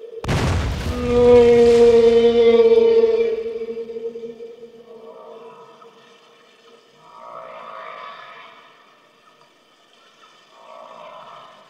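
A whale gives a long, rich moaning tone that slowly sags in pitch, followed by softer wavering moans.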